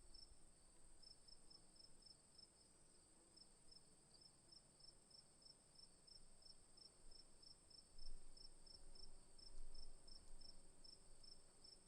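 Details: Afternoon crickets chirp in a steady, high-pitched chorus, one voice pulsing in quick regular beats over a continuous shrill trill.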